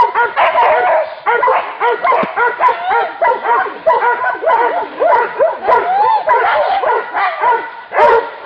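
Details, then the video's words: Hunting dogs confronting a wild boar. Several dogs bark and yelp in a dense, overlapping, excited chorus of sharp, mid-pitched barks and rising yips, with almost no pause between calls. "anjing vs babi hutan"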